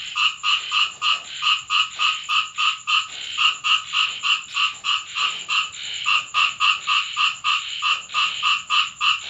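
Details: Frogs calling at night during rain in a home in Thailand: rapid, regular croaking pulses, about three or four each second, bright and nasal with strong upper tones, a steady high hiss running underneath.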